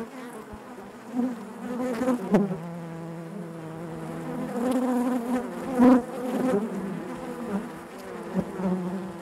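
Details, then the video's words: Honey bees inside their hive: a dense, steady buzzing hum with a low droning base and stacked overtones, swelling as single bees pass close at around two and six seconds, then settling back to the colony's drone. "bees therapy hive natural buzzing sound"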